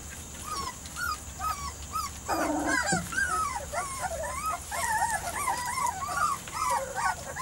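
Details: Litter of Weimaraner x Vizsla puppies aged three to four weeks, Biscuit's pups, whining together: many short, looping high whimpers tumble over one another, with a brief lower yelp partway through and a steady faint hiss behind.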